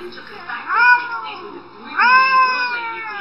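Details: Domestic cat giving weird meows, two drawn-out harmonic wails about a second apart, each rising then slowly falling, with faint background noise.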